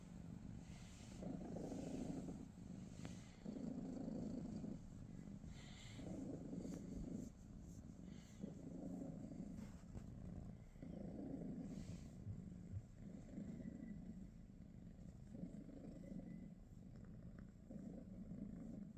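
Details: Low, throbbing purr from pet British Shorthair cats (Pikachu, Teddy and niece Rosie) during a morning together, pulsing in regular inhale-exhale swells about every one and a half seconds, with a few soft rustles.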